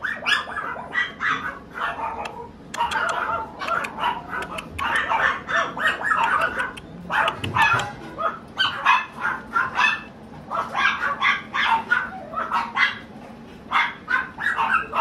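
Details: White Chihuahua barking in rapid, high yappy bursts, mostly in clusters of two to four sharp barks with brief pauses between, steady throughout.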